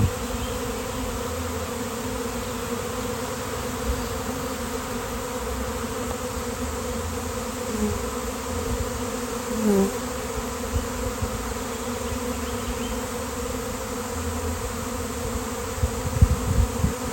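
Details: A giant honeybee swarm appears out of nowhere on a nice day, thousands of bees flying by and settling on a fallen basketball hoop. A continuous buzzing drone with a steady low pitch and a brief higher whine near the middle.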